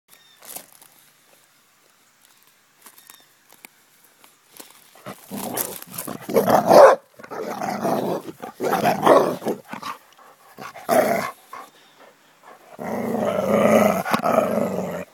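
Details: Basset hound playing, giving rough barks and growly vocal bursts in irregular runs separated by short quiet gaps, with a longer sustained growl-like stretch near the end.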